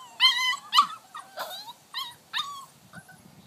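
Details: Rascal, a Vizsla puppy of six weeks, climbing its X pen; short sharp yelping whimpers, about five in three seconds, rising then dropping, with faint scuffling between.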